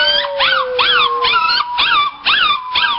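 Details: Male Chinese Crested dog singing, a run of arched, rising-then-falling yelping howls about twice a second, with a sustained slowly falling tone underneath early on.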